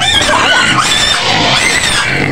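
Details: Shrill, sustained screams from a white pig penned near Medan, said to be begging for food, forming one unbroken harsh squeal over two seconds.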